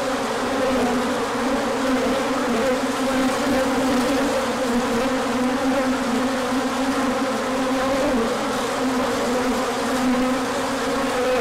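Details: Swarm of bees circling in a big orientation flight as the sun returns after a cold spell, March 2024; thick droning hum holding steady, layered wingbeat tones with slight wavering, nothing else audible.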